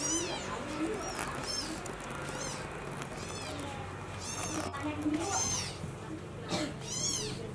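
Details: Newborn kitten mewing as its mother cat carries it to the nest; thin, high arching mews repeat roughly every second over a steady low hum, with faint voices in the background.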